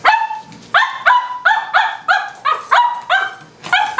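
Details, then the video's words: Cavalier King Charles Spaniel puppy barking at a tuna can indoors: a rapid run of about nine high, yappy barks, each with a bright harmonic stack and a slight rising onset, spaced roughly every half second. "Cavalier King Charles Spaniel Puppy Barking at a Tuna Can"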